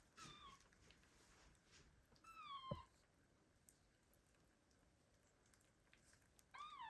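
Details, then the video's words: Abandoned kittens meow loudly to call their mother cat, 2022. Three high-pitched meows: a falling cry at the start, another mid-clip, and a third at the end, each with strong overtones over quiet background handling noise. "The kittens meow loudly and call their mother cat"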